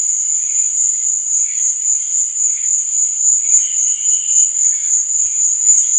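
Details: Nocturnal cricket chorus: a constant sharp high trill beating about four times a second, with soft lower warbling sounds coming and going.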